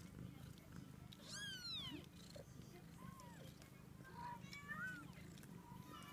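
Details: Munchkin kitten, 14 days old: thin, high mewing cries, a bright down-sweeping squeak near the start followed by softer, shorter mews, over a steady low rumbling background.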